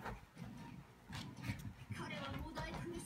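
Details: A female corgi barks in short, sharp bursts, insisting that someone come down from the sofa.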